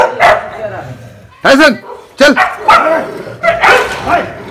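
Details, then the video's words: Several street dogs fighting outdoors in Berinag, a hill area, loud harsh barks and snarling yelps in bursts, about a dozen sharp calls with pauses between, a person speaking Hindi nearby. "Dogs Fight"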